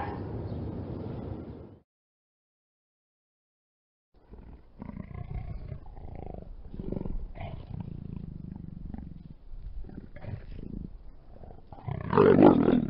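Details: Leopard giving a run of low, hoarse, rasping grunts, then a pause of silence, followed by a series of rough sawing bursts repeated about four times a second, ending in a louder, harsher burst.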